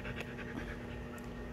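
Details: Hungry Belgian Malinois on patrol, pestering its handler, panting rapidly in short rhythmic breathy bursts over a steady low hum.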